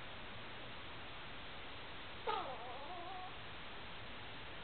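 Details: Shih Tzu giving one short, high, wavering whine that bends down and trails off over about a second, heard indoors against a steady background hiss.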